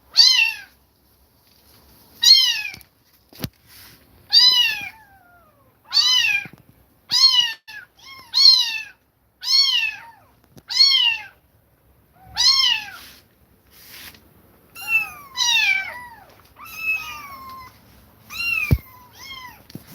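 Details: Kittens taken away from an aggressive mother that attacked them repeatedly cry nonstop, giving around fifteen shrill, downward-curving meows roughly once a second, some shorter and broken, in a quiet indoor space.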